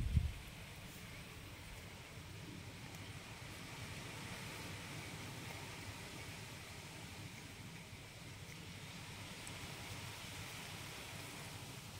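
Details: Steady low rumbling wind or engine noise with no animal sounds. A brief bump at the start gives way to an even, hissing background.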